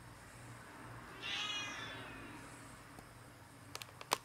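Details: A cat gives a single short meow partway through, a tonal cry with bright stacked harmonics that swells and fades, set against quiet room hum and followed by a few sharp clicks and taps near the end.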